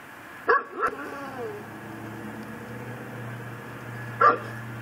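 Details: Pit bull tied up in a yard in Chalmette, Louisiana, at midnight on December 24, 2012: two quick barks, then a single bark several seconds later, over a steady low mechanical hum.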